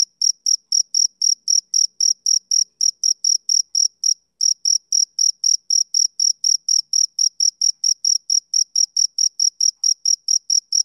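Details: High, steady cricket chirping from a male on a summer evening, regular sharp pulses about two to three per second with a short gap near the middle, against an otherwise silent background.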